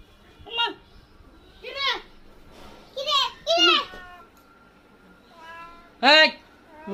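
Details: A cat that suddenly got into a house meows five times over seven seconds: loud, arched, harmonic meows, two in quick succession near the middle, with people talking and brief music around them.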